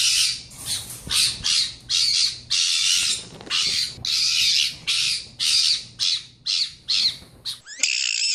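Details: Pet fennec fox, described as loud and screaming even when happy, giving a rapid series of harsh, noisy screeching bursts, about thirteen in under eight seconds, each short and raspy, ending in a brief tonal squeal.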